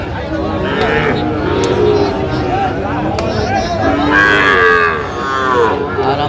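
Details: Sahiwal bull calves at Aftabganj livestock market, 16 August 2025: several wavering, harmonic moos, one near the start and another a few seconds later, over steady crowd murmur with occasional clicks and knocks.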